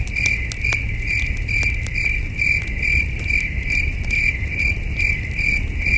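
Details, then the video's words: Steady cricket chirping in the cool night air of an outdoor campsite, evenly spaced high notes about every half second, mixed with intermittent fire crackle and low murmuring noise. "Soothing Cricket Sounds"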